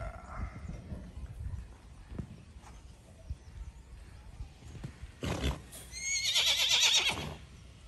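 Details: Horse running free in a field at an Indian stud farm: soft hoof thuds and a man calling out at first, then a loud, shrill whinny with stacked, quavering harmonics that rises and trembles for about a second and a half near the end.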